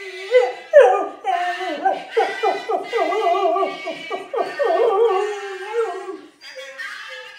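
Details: Pet beagle singing along whenever people sing Happy Birthday; a long run of wavering, yodel-like howls and whines that rise and fall in pitch, sliding through short riffs, then trailing off into quieter whimpers at the end.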